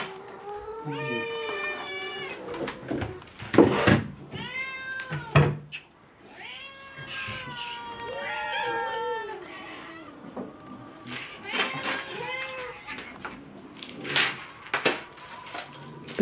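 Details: Domestic cats crying at feeding time indoors, a dense series of wavering, drawn-out meows from more than one cat, interrupted by sharp knocks and clinks of food being set out.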